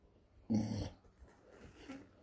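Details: Female Neapolitan Mastiff puppy, four months old, gives a single short, low, rough growl lasting about a third of a second, then quiet, with a person calling out German commands around it.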